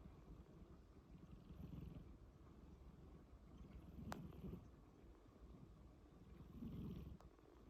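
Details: Low, raspy snoring from a sleeping cat, three breathy swells spaced about two and a half seconds apart, with two brief clicks in between.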